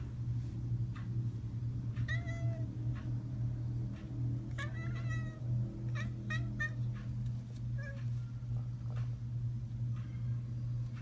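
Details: Talkative female tuxedo cat at home, meowing toward the camera; a series of short, bright chirping meows in quick bursts, some clustered together, with a steady low hum underneath.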